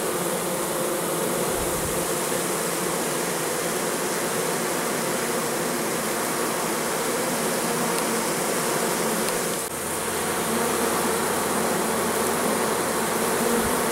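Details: Honey bees at an apiary in September 2014, busy bringing in nectar during the goldenrod flow in perfect weather: a dense, steady hum of many wings, rich and unbroken throughout, with a brief dip in loudness near the ten-second mark.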